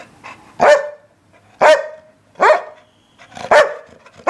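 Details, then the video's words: English Springer Spaniel barking steadily, four loud, clear barks spaced roughly a second apart, each sharp at the onset with a ringing tone. "Barking Springer"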